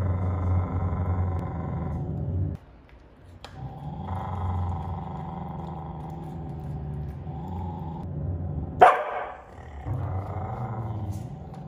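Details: Low sustained growls from Jotunheim, a young male Siberian Husky guarding his little sister Tiara's toilet paper from another female; growls broken by short pauses, with one sharp higher snarl or yelp near nine seconds.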